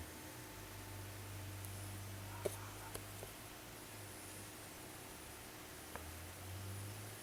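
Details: Blackie the cat snoring while asleep: low, soft rumbling breaths drawn out over a second or more, with quiet gaps between and a few faint clicks in a small quiet room.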